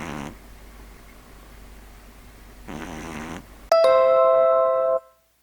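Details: Pet pug Neil snoring in his sleep: two faint, rasping snores, then a loud bright chime of music rings out and fades.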